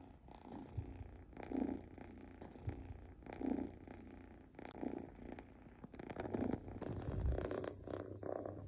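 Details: Snoring kitten Mofy, a male Scottish Fold Longhair born July 2021, sleeping; low buzzy snores spaced about every one to two seconds, followed by light rustling and denser breathing in the last seconds.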